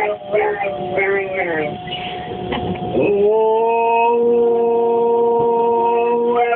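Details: Labrador howling in response to an S-Bahn pulling away; brief rough, voice-like sounds give way to a sustained, level, strongly tonal howl held for over three seconds.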